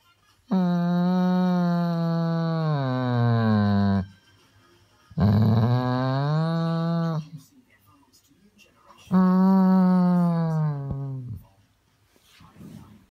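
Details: An attention-seeking Weimaraner gives three long, low, moaning whines that slide downward in pitch, sounding like a pregnant cow.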